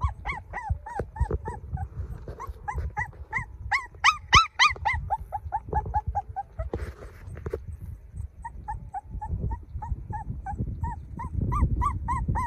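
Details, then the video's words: Puppy of golden colouring whimpers on and on: quick, high, curved cries, a louder, shriller burst around four seconds, then softer yelps continuing over low background rumble. "Sound Puppy Cry Fink Mild | Baby Dog Golden"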